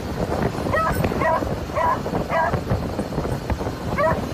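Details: Excited beagles riding in a makeshift moped carriage in Phetchabun, Thailand, let out a string of sharp, high barks in irregular bursts, half a second apart, over continuous engine drone and rushing wind.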